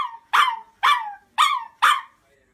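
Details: Pet chihuahua giving shrill demand barks when a request goes unanswered, four loud sharp yelping barks about half a second apart, each falling in pitch.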